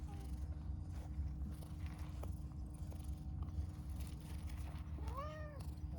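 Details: An affectionate, talkative pastel calico cat gives one clear meow near the end. The call is harmonic and arching, rising then falling. Steady low rumbling background noise and a few faint ticks run throughout.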